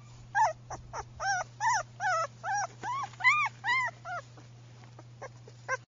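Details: Female German Shepherd puppy, tan sable, whining steadily: about a dozen short, arched, nasal whimpers, each rising then falling, repeated roughly twice a second over a constant low electrical hum.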